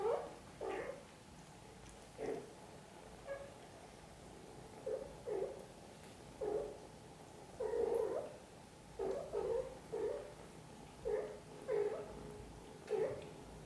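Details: Mother cat caring for her kittens, gentle repeated short mews around 500 with faint harmonics, about a dozen brief calls spaced one to two seconds apart over a quiet indoor background.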